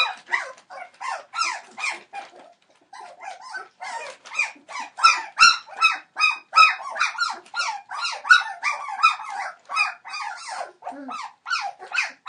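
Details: Twenty-one-day-old Entlebucher Mountain Dog pups, whose parents are Shadow and Falk, crying insistently. A brief lull, then dense, overlapping high-pitched squeals and whines, bent up and down in pitch, pouring out about two or three per second.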